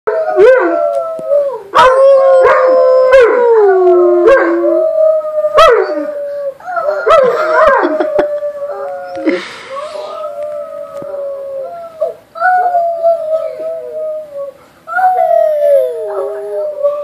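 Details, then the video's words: Dogs howling together with kids, several drawn-out wavering wails overlapping, pitch sliding up and down, with short sharp yips and breaks between howls. "Kids and mastitis howling"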